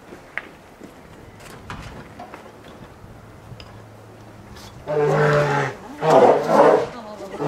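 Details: Lila, a two-year-old female polar bear caged at Maruyama Zoo, Sapporo, Hokkaido, on 15 March 2017. Nursing from her mother Lara has ended, and she loudly demands more. Two long, low, harsh moaning calls follow a quiet stretch of faint knocks.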